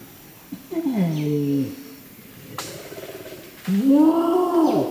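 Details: An adult flanged male Bornean orangutan (Pongo pygmaeus) gives a long call of deep, drawn-out roaring pulses at Tuanan Research Station, Central Kalimantan, Indonesia.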